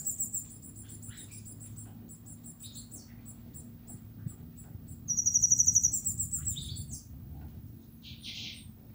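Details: Queen cicada song: very high, rapid rows of short pulsed ticks, then a louder pulsed burst that swells and rattles for about two seconds before fading, with scattered high chirps and a faint low background hum.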